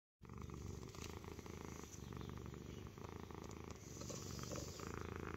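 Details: Stitch, a pet cat, purrs loudly like an engine ticking over, a steady low rumbling throb with soft pulsing beats throughout.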